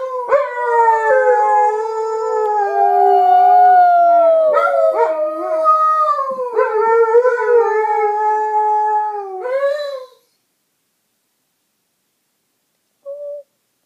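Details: Two Alaskan Malamutes howling together as pets: long, wavering, harmonic howls that slide and overlap for about ten seconds, dipping and rising in pitch, then silence with one short faint howl near the end.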